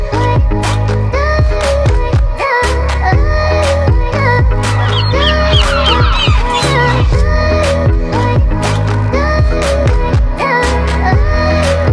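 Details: Loud electronic music with pulsing beats and melodic synth lines fills the recording from start to finish, with no animal sounds audible.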